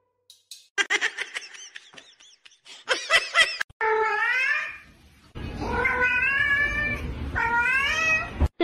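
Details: Domestic cat giving several long, wavering, rising-and-falling meows after a series of sharp clicks and taps, with background noise between calls.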